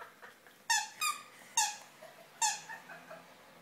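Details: Spikey, a pet dog, playing with his girlfriend Mia indoors: sharp high yelping barks in quick bursts, four loud ones spaced about half a second apart with softer yips between.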